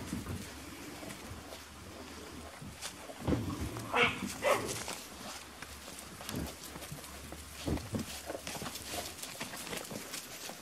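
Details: Litter of five-week-old Beauceron puppies at a kennel before feeding; scattered short yelps and whimpers, a brief burst of higher squeals mid-way, over a restless background of shuffling and faint noises.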